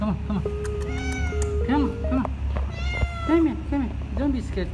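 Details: Cat in a car park being coaxed to come and eat its dinner, giving several short arched meows in a row, mixed with a man's coaxing voice, steady tonal music and a low background rumble.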